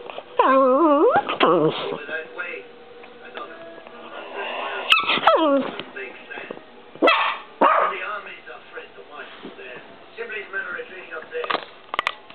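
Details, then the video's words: Peanut, a Chihuahua, attacking and arguing with the camera: bursts of high, wavering whines and grumbling yips come in short clusters, sliding up and down in pitch, separated by quieter gaps with a person talking in the background. "Peanut Attacks Argues With Camera Chihuahua"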